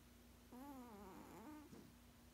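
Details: Sleeping 16-year-old male cat snoozing indoors gives a wavering, nasal hum-like snore lasting over a second, wobbling in pitch and rising near the end, followed by a short catch, over a constant low background hum.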